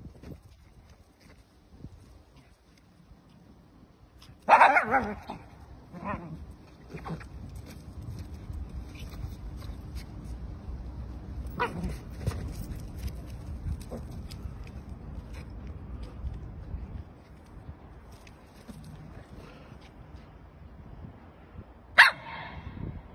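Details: While playing with a balloon, a puppy lets out one loud, high bark, then a couple of fainter yips. A long stretch of rustling and handling noise follows before a final short bark near the end.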